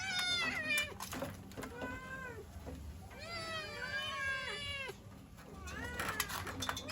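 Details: Kitten cries for the mother cat, sounding hungry or cold: a few clear meows, one long wavering cry in the middle, then a loud final call, with soft clicks and rustling between.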